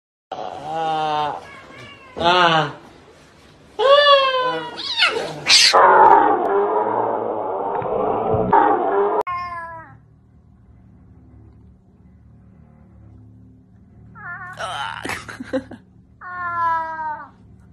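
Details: Cat attacking and biting its owner: drawn-out harmonic meows and yowls in bursts, a long harsh rasping cry in the middle, then more meows near the end, with a woman speaking Russian and background music.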